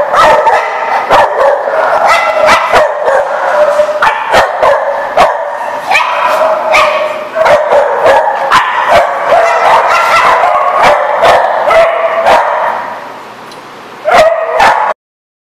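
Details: Dogs at The Barking Lot on 28 April 2014 bark continuously in quick, overlapping bursts for about fifteen seconds, several barks per second at times. The barking briefly eases before one last loud outburst.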